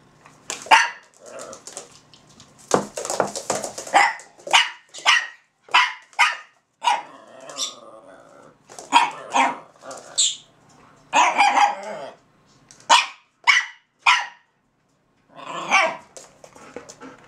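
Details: Two dogs, a Russian Toy and a Belgian Malinois from a kennel, trade barks in a back-and-forth exchange: sharp, high barks in quick bursts, some clustered, with brief pauses between volleys and a lower, rougher growly passage near the middle.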